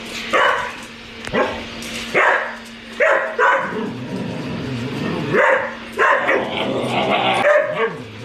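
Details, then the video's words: Dalmatian barking in a busy recording: short broadband barks around 0.4, 1.3, 2.2, 3 and 5.5 seconds over a steady low hum and other overlapping noise. "Dalmatian Barking Sound Effect. A Dalmatian In Real Life Barking Will Make You Smile"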